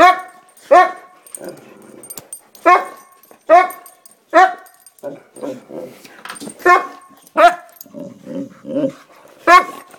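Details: Excited boxers barking in sharp separate bursts about every second, the barks mixed with softer grumbling growls and whining noises in a small indoor room.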